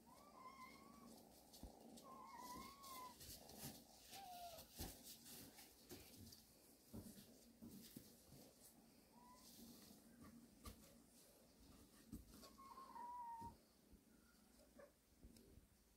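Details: Resting cat family kept in a warehouse; repeated short, high mews with clear harmonics, often bending down at the end, come every few seconds over steady background rustle and occasional clicks and knocks.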